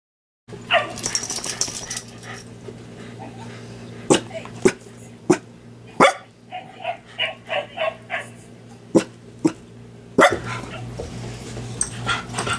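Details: Two excited dogs, one a Cavachon, play together while a cat watches from out of the way; sharp barks and yips come in bursts with scuffling and thumps between them.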